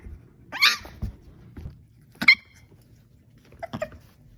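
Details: Staffordshire bull terrier puppies at play indoors: three short, high, sharp yips spaced about one and a half seconds apart, with soft scuffling and thumps of play between them.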